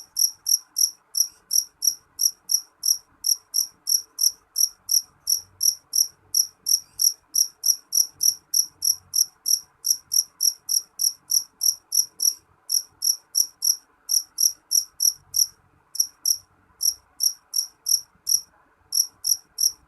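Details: A loud jeliteng cricket chirps persistently in short high, ringing pulses at roughly three per second. Brief breaks interrupt the rhythm now and then, against an otherwise quiet background.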